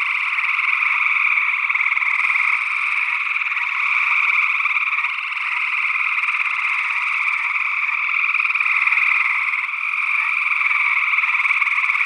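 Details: Gray tree frog chorus from Northwest Wisconsin, early June 2022, taken with a matched pair of SE Electronics sE8 microphones in ORTF. Rapid pulsed trills from many frogs run together nonstop, rising and falling slightly in loudness, joined by an unidentified second frog species.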